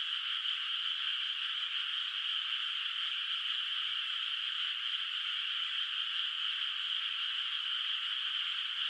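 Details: Frogs heard from a distance across a moonlit paddy at night, the flooded field still unplanted; their massed calling forms a continuous, uniform high-pitched drone without pauses or distinct individual croaks.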